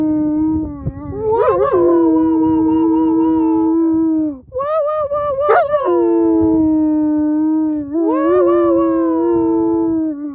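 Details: German Shepherd dog singing in sustained, loud howls, three long steady tones with wavering rises at their starts, lasting several seconds each with only brief pauses between.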